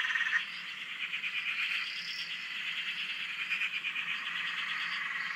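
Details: Australian dam frog chorus captured from a shack: many frogs trilling and croaking together in a thick, even wash of rapid pulses, a brief louder burst at the start and faint higher notes overhead.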